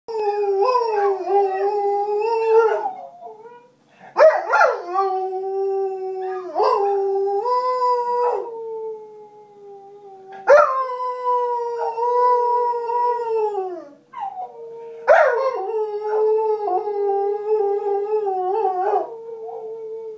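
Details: Nine-month-old Belgian Shepherd Groenendael howling: long, sustained, tonal wails rich in overtones, each starting with a sharp rising yelp, then holding steady and sagging slowly in pitch, five phrases separated by short breaths.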